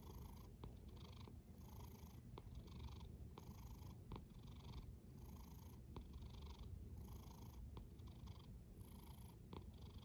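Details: Sleeping cat snoring steadily, each hissing breath lasting about half a second and repeating roughly every one and a half seconds above a continuous deep rumbling purr-like drone.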